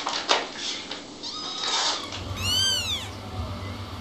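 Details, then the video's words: Kittens give a single high, thin mew that rises then falls in an arch, with rustling and faint knocks before it and a low hum underneath. "Küçük (bebek) kedilerden dikkat çekici sesler"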